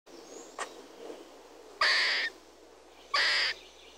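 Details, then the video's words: Red squirrel calling: a faint click, then two loud, harsh, rasping bursts about half a second long, spaced over a second apart, with a quiet background. "Red squirrel sounds, squirrel call"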